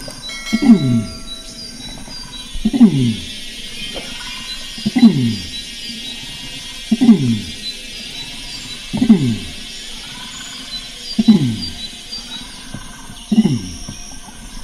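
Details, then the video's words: Bornean orangutan (Pongo pygmaeus) calling in a steady series of deep, descending groaning pulses, one roughly every two seconds, each sliding downward from a rougher onset; faint steady high tones hang in the background. "Suara Orangutan Pongo pygmaeus"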